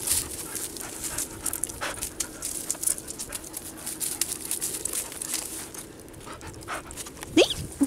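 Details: Two Kerry Blue Terriers, Baylee aged one and George at fifteen weeks, playing together for the first time; quick rough panting and scuffling breaths fill the clip, with one sharp high whine near the end.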